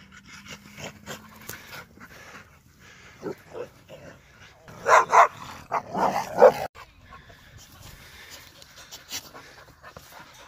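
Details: Dogs at a dog park, a Bluenose Pitbull among German shepherds, give a short flurry of loud, rough barks mid-way, four or five harsh bursts packed into about two seconds, set against quieter rustling and faint background noise.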